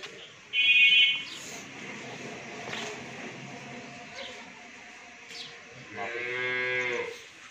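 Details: A nine-month pregnant Friesian cow, due to calve for the first time and raised by a family at a dairy farm in Bhangura, Pabna, Bangladesh, gives one drawn-out, low moo near the end, after a brief shrill sound early on, with faint background chatter.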